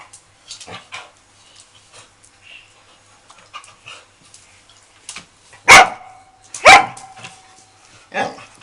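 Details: Dog named SOM at Phuket Dog Resort, playing with another dog for the first time: two loud sharp barks close together near the end, with softer scuffling, yips and bird-like chirps before them.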